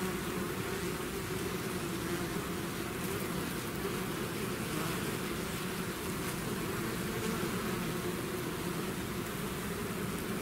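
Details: Swarm of bees pouring out of its hive, a dense, steady drone of many wings with layered hums around low and middle pitches, unbroken throughout with no pauses, plus a faint hiss over the top.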